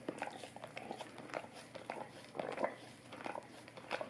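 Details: Golden retriever lapping at an Orapup tongue cleaning brush in a small room; dense wet tongue smacks and faint crunchy chewing clicks, with louder clustered slurps near the middle and end.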